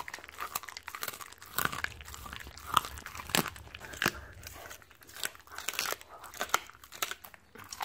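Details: Bone-grinding crunches from a Siberian Husky eating raw chicken as a reward. Loud, snapping bites arrive in uneven bursts, separated by softer chewing and short pauses. The setting is indoors and quiet.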